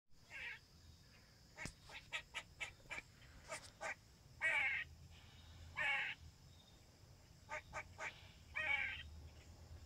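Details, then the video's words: A squirrel on a window sill gives sharp, harsh barks, mixing quick clipped chips with longer raspy calls. "Barking squirrel"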